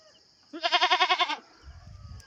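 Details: Goat being moved and tied up early in the morning, just after six, in bad weather: one loud, quavering bleat lasting under a second, strongly pulsed with about eight rapid wavers, then low rustling.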